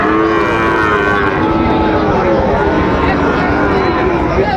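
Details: Sahiwal cattle, bull calves for sale at the Raniganj cattle market in Dinajpur on 23 October 2025: a low, drawn-out moo with steady harmonics, partly buried under dense crowd babble and bargaining voices.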